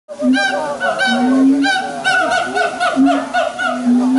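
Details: Siamangs at Taipei Zoo, recorded 5 September 2015, in a territorial display warning others off: loud honking hoots with rich overtones, each note swelling and sliding upward, repeated about every second with overlapping voices.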